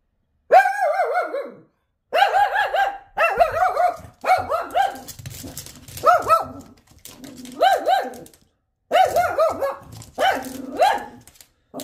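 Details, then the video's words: Shih Tzu going ballistic at another dog outside the window, giving a run of loud yelping barks, roughly one per second, each with a rising-falling whine, in a quiet room. "Shih Tzu Losing his Shih Over Another Dog"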